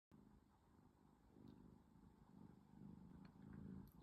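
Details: Domestic cat sleeping comfortably in the afternoon, purring softly: a low, steady rumbling throb that swells and fades in slow waves, with faint indoor background hiss.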